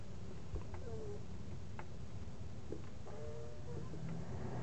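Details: Twelve-day-old standard parti poodle puppies, apricot and white, from Athena's litter, giving short thin whines and squeaks, a couple of drawn-out level whimpers among brief clicks, over a steady low background rumble.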